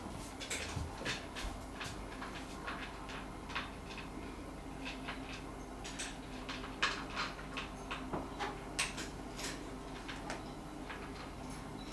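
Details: Quick irregular clicks, knocks and rustling indoors over a low steady hum.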